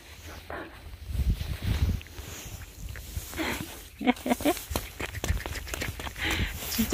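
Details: Several countryside mixed-breed puppies outdoors give short, high, whimpering yelps in a few quick bursts midway and again near the end, over people chatting and footsteps.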